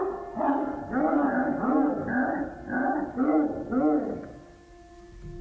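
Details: A dog barks in quick, tonal bursts, about two a second, over a soft steady musical tone; the barking frightens a baby monkey clinging to a tree branch outside a house.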